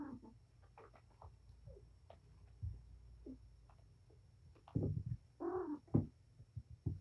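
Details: Domestic cat Patience in a rowdy play session with her litter of four male kittens and one female, indoors: quiet scuffling and bumps, then a brief louder meowing call near the end with more knocks.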